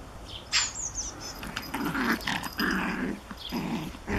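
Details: Play between a Japanese Chin puppy and a Collie: a run of low growling bursts, rough and throaty, coming in quick clusters over a few seconds, with high bird twitters behind.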